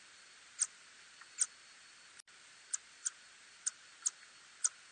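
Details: A little tube-nosed bat gives short, sharp, high ticking pulses at uneven intervals of about half a second, in a 2020 recording.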